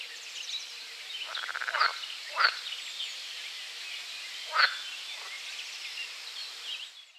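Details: A pool frog gives a quick, rattling pulsed croak followed by a few sharp clicking notes, at Strobów, Poland, on 4 June 2017.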